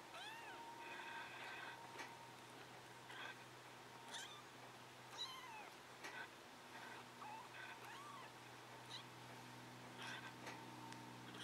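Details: Scottish Fold kittens, 3.5 weeks old, give thin, high-pitched, wavering mews that rise and fall, often overlapping, in short bursts scattered through the clip over a steady low hum.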